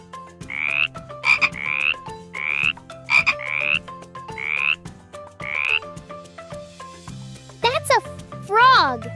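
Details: A frog gives brief, raspy, pulsed croaks about once a second over gentle background music, then a couple of swooping sounds; frogs croak to talk to each other, especially at night near ponds.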